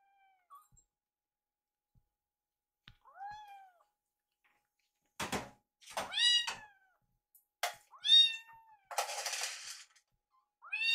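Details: Rescued kittens named Yuki and Piyo, foster kittens waiting for their food indoors, give repeated high meows with harmonic, arching contours, several in quick succession toward the end, plus a burst of rustling noise.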